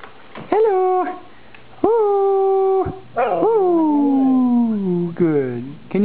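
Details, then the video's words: A female Siberian Husky "sings" with her owner, giving drawn-out, sliding howls, some held steady and others bending downward, while he encourages her. "Singing Husky. Martin talks with dog."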